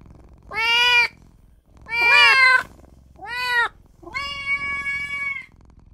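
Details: Tiny newborn kitten crying for its mother and owner: four high, harmonic-rich meows, the first three arched and under a second each, the last a long, level, drawn-out wail.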